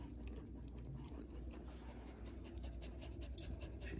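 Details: Two-month-old male pit bull puppy under a coffee table indoors, tired and tuckered out after getting worked up. He pants in quick, steady breathy huffs, several each second, with faint talking in the background.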